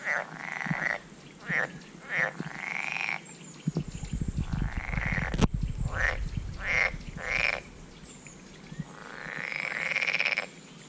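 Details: American bullfrogs (Lithobates catesbeianus) call, giving a series of droning, resonant croaks with a low rumble underneath.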